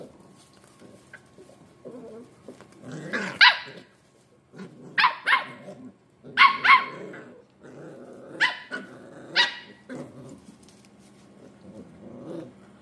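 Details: Scottish Terrier puppies at play, giving sharp, high yappy barks in bursts one to two seconds apart, with low growling and scuffling between them and brief quiet gaps.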